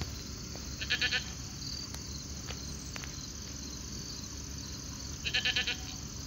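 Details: Alpacas out grazing on a late summer evening; two clear bursts of fast, buzzy pulses, about four seconds apart, with a few faint clicks between them and a constant high hiss in the background.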